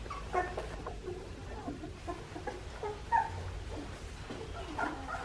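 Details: Young Australian Shepherd puppies, aged two and a half weeks, from Poppy and Dublin's litter, letting out scattered brief high squeaks and soft whimpers, a sharp one near three seconds, against faint background rumble.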